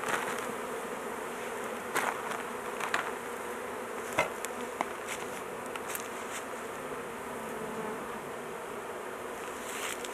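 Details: Honey bees buzzing in a steady, dense drone around an opened hive where the queen has been put in a cage to avoid crushing; scattered clicks and taps from handling break through now and then.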